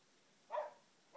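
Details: Hatton, a pet boxer dog, lets out one short, mid-pitched bark, and a second bark begins just as the recording ends. The background is otherwise quiet.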